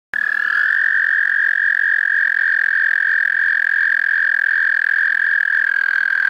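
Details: Tiny, loud, melodious frogs singing in the pond of a park: a steady, unbroken high whistling tone that holds level for over six seconds after a sudden start. No other sounds stand out.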